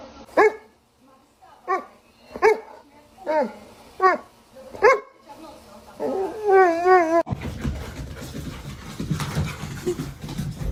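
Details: Dog giving a series of six sharp, high yelping barks spaced under a second apart, then a wavering whine, followed by a burst of loud noise and people talking.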